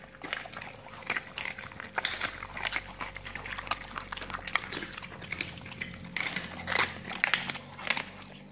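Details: Dogs feeding on raw meaty salmon bones and raw chicken carcasses, ASMR style: loud, rapid bone-crunching and tearing in quick bursts, heaviest near the end, over a faint electrical hum.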